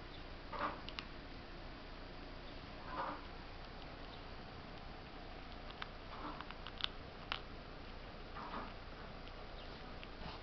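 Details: Squirrel named Smrda (Stinky) gnawing on corn, giving short bursts of gritty crunching every second or two, with scattered dry clicks between them against a quiet indoor hiss.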